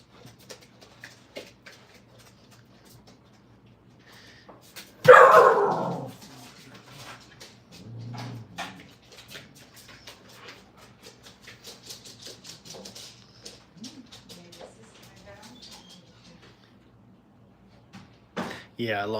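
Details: Brittany puppies, five weeks old, in crate training at a kennel. A sudden loud sharp bark bursts out, followed by scattered soft clicks, shuffles and small whimpers, ending in a wavering high whine, all over a constant low hum.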